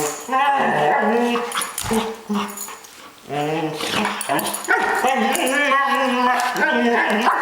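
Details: Playing dogs making a fast run of harmonic yips, whines and mock growls, bending up and down in pitch, with a brief quieter lull mid-way before the vocal play resumes loudly.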